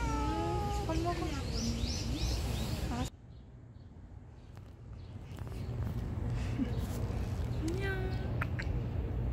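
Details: Street cats, a calico and a mackerel tabby, fed outdoors on a hot June day: a few falling meows at the start, then a quieter stretch with a faint brief meow near the end, a woman speaking softly.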